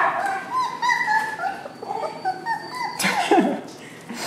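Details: Kai Ken puppy Homer, number three from Kumi's fall 2011 litter, whimpers in quick, wavering, high-pitched cries. Each cry bends up and down. A sharp knock near the end and faint human voices are also heard.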